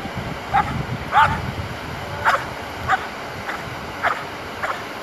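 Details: Belgian Malinois named Asyong during bite work training, giving a series of about seven sharp, hoarse barks spaced roughly half a second to a second apart, against a steady background hiss.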